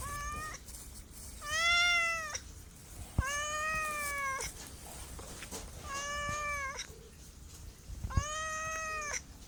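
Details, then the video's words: Cat meowing five times in a row, the calls rich in overtones and fairly even in pitch, each under a second long, over a faint hissy background with a few sharp clicks. "MEOWING MEOWING - CAT CUTES - CAT FUNNY - SOUND CAT - MEOW CAT 01"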